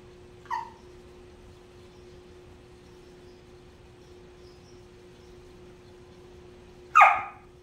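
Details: Whippet named Lucy barking because another dog, Pebbles, is lying in the bed she wants and won't budge; two short sharp barks, a quieter one near the start and a louder one about six seconds later, steady indoor hum between.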